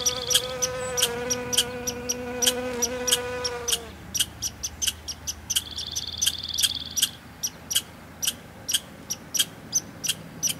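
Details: Honey bee working a dandelion in Newfoundland: a low, even droning buzz for about four seconds, then fades out. A thin high whine follows, and sharp regular ticks and chirps continue behind it.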